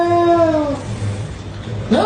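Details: Cat; fighting yowl; aggression during a fight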